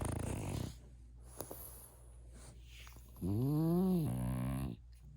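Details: Tickled in its sleep, a French Bulldog lets out one low drawn-out groan that rises and falls over about a second and a half, following snoring breaths and a short human exclamation.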